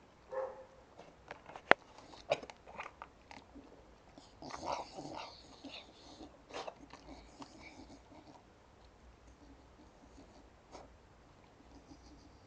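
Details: A Staffordshire Bull Terrier eating popcorn gives short, complaining whines amid crunchy chewing and clicking sounds, as if demanding more.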